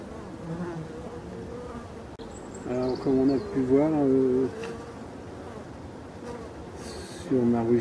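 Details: European dark bees and drones on the hive landing board on 5 February 2022, flying out in the sun to gather pollen; low humming drone with close, louder buzzes of passing bees rising and falling in pitch.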